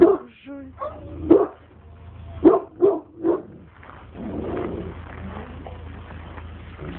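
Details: Alabai dog Oktash barking at a stranger: several sharp barks in the first three seconds, then the barking stops and a broad rustling noise fills the rest.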